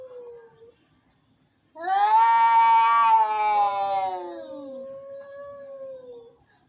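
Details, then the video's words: Angry cat meowing: a short low moan, a pause, then a loud, rough, rising yowl that holds for about two seconds and sinks into a long falling wail. "Angry Cats.Meowing."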